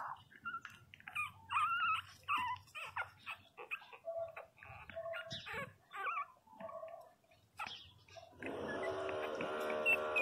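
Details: Whining cries of 22-day-old Pinscher puppies, a burst of warbling whimpers early on, then scattered shorter cries, ending under a steady broad rushing noise in the last two seconds.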